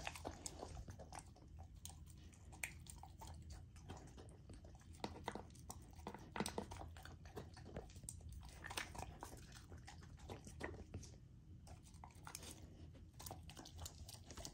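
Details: Young female Golden Retriever chewing a raw, partly frozen dinner; steady dense run of crunching and smacking bites with scattered louder snaps, continuous throughout.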